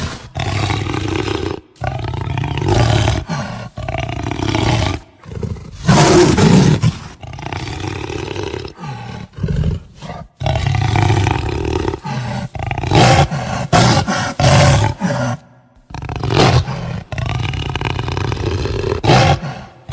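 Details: Jaguar growling and roaring: deep, rough, rasping bursts in short loud segments, broken by abrupt silences, with heavy low rumble throughout and no other sounds.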